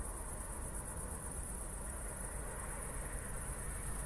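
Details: Crickets at night just after a thunderstorm near Zwettl, Austria, recorded in 24-bit stereo on an evening walk: a steady, high, shimmering trill runs unbroken throughout, over a low rumbling background of footsteps and distant noise.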